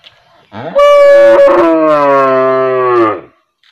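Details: A cow in a village gives one long, steady moo lasting about two and a half seconds.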